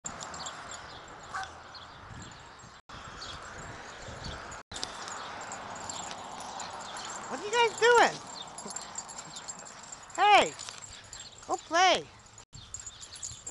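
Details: Pekingese puppies playing in a front yard give short, high, arching yips in a few quick bursts over steady background hiss.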